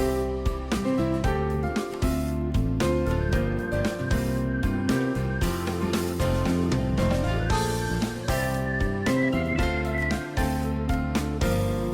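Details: Gentle plucked-guitar background music plays throughout, with no animal voices audible.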